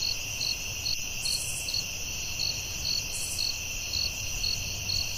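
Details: Crickets at night in a forest, giving short pulsed chirps around twice a second over a sustained high whine, with a couple of brief higher buzzes and low background noise.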